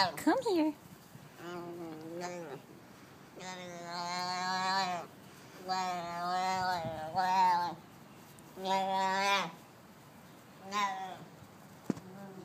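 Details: Chatting baby Arabian oryx utters a run of about six drawn-out, quavering bleats, several lasting over a second, with brief silences between them.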